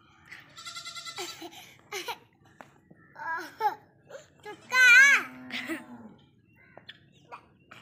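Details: Baby goats playing, running and jumping; one loud wavering, quavering bleat rises over human speech, laughter and background music.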